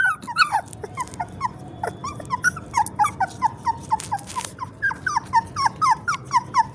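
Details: Newborn puppy giving a rapid run of short, high, squeaky whimpers, roughly three per second, some bending upward and a few overlapping, over a steady low background rumble.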